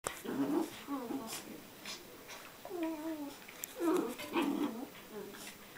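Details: Two Border Collie puppies, one five months and one ten weeks old, playing indoors on a day bed; short rough growls and whiny yelps in bursts, with a person speaking softly between them.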